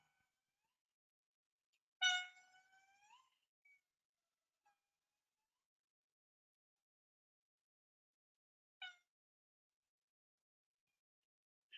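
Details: Indri of Madagascar, a recorded morning territorial call that families trade across the forest; one loud wailing note with stacked harmonics that swoops up and fades, then a brief second call after long silence.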